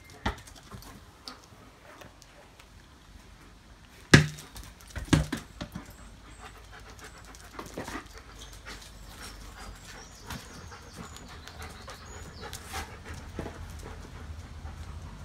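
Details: German Shepherd from a pack panting: breathy, noisy strokes repeated roughly once a second through the clip, with a couple of sharper thumps near the fourth and fifth seconds and faint high bird chirps in the background.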